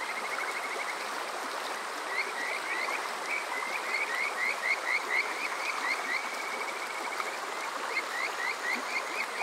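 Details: Kajika frog singing on a summer night at Water Park Shirayama in Yokoze, Chichibu District, Saitama, Japan, recorded on a TASCAM DR-05X: bright upswept whistled notes, a few spaced then a rapid cluster, above rushing water.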